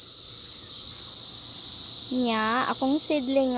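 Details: Cicadas of the 2021 emergence give a continuous high buzzing chorus, level and unchanging, joined in the second half by a few words of human speech.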